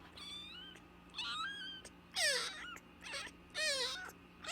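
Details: Persistent cries of a nursing baby kitten found at the gate: loud, harsh, drawn-out meows about every second, some strained and rasping, with a steady low hum underneath.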